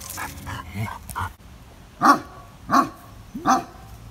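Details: Benno, a shelter dog in Biberach said to be a Landseer, fearful because he does not know the person before him; after soft background sounds, three loud, separate barks ring out roughly two-thirds of a second apart.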